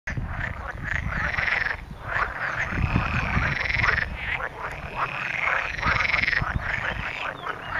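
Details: Frogs calling from a country pond on a farm near Montepulciano, Tuscany, Italy, in May 2013: overlapping rasping croaks in loud bursts of a second or two, with a dense low rumble beneath.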